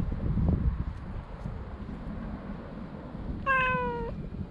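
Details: Stray cat on a walking path, approached while cats are petted; after several seconds of low outdoor rumble, a single short meow sounds near the end, steady then dipping slightly.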